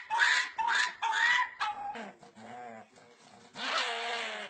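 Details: Puppies making pig-like squealing noises: three loud, rasping squeals, then softer, lower grunting whines and a final drawn-out squeal.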